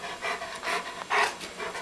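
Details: Pet dog named Coco, grown older, telling his owners he is hungry and wants to be fed: breathy, panting huffs in quick rhythmic bursts about every half second, indoors, with a person asking what he wants.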